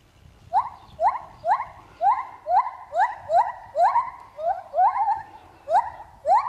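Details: Lar gibbon at Trotters World of Animals singing while swinging: a loud series of rising whooping notes, each sweeping upward, repeated roughly every half second, fairly evenly spaced, with no other clear sounds.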